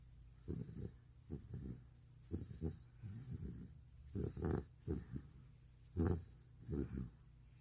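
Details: Sleeping pet retriever, recorded two years earlier, snoring indoors: deep, rattling, pulsed snores in short bursts roughly every second, each a throaty flutter, with faint hiss between breaths and no other sounds.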